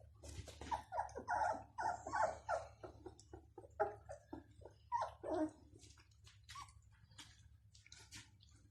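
Bloodhound puppies give short, high whimpering yelps in quick, uneven succession.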